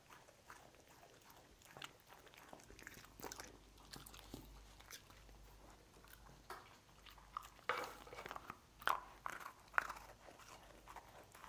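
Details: A dog named Lucy crunching cookies inside a small room. Scattered soft bites give way to several loud, sharp crackling crunches in the later half, with a faint low hum beneath.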